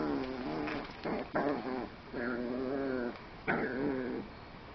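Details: Nine-week-old male Miniature Pinscher puppy indoors, grouchy and wrestling during harness removal: harmonic whining cries and rough snarls in several bursts of about a second each, with brief pauses between, one sharp higher yelp near the end.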